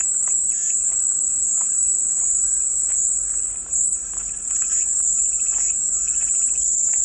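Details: Cicada song: an unbroken, high, hissing drone that stays steady throughout, with faint scattered chirps lower down and a brief dip in loudness near the middle.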